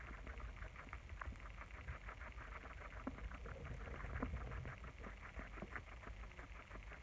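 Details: Several pet guinea pigs eating lettuce, with dense crisp crunching and nibbling clicks running steadily through the whole stretch over a low background rumble.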